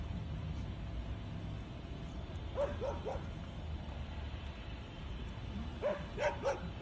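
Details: Eight-month-old Yakutian Laika training at an "electric bear": two bursts of three quick, sharp barks about three seconds apart, sounding distant over a steady hiss of background noise.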